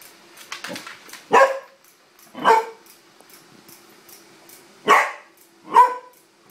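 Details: Fonzie the Corgi barks indoors at a wind-up toy horse set on the floor: four sharp, loud barks spaced about one to two seconds apart, with soft ticking of the toy's mechanism in the background.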